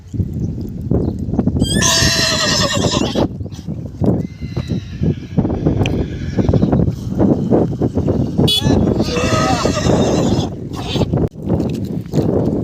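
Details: Mare and foal: a loud, high, shaky whinny near two seconds and another near ten, each with rich harmonics, over steady people talking, calls to the horses and low handling and hoof noise.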